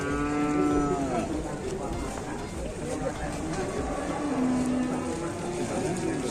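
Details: Cattle at the Grabag cattle market where buyers look for jumbo cattle: a long, low, steady moo with rich harmonics opens, and a shorter second moo follows about three seconds later over a dense crowd murmur.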